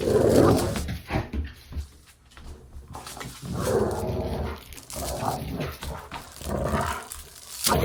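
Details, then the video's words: Dog play growling for desensitization; a loud growl at the start, then a quiet spell, followed by several shorter, rougher growls and snorts indoors. "Dog Play Growling"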